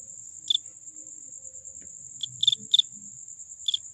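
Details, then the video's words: Cricket making short, sharp high chirps: one alone, then a quick cluster of three, then another single, over a constant thin high whine and faint low background rumble. "suara jangkrik paling merdu"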